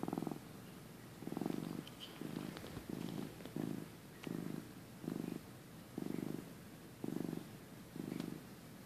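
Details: Sleepy house cat from early 2015, a sweet young male, purring during a nap: rhythmic low rumble in repeated bursts close to once per second, with faint small clicks in the background.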